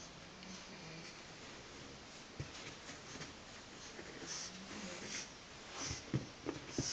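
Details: Pug asleep and twitching, giving soft low snoring hums and brief snuffly snorts, with a few sharp clicks toward the end in a quiet room.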